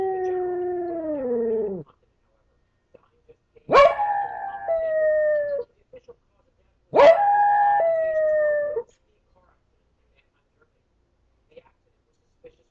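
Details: Male pet dog howling when it believes it is alone: three long, mournful howls about two seconds each, the first sliding downward, the next two starting with a sharp yelp then holding steady, separated by quiet pauses.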